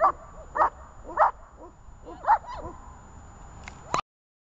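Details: Zhelya, a dog in guard training, gives four loud barks in the first half, then softer yelps and a whine, ending in a sudden sharp sound before silence.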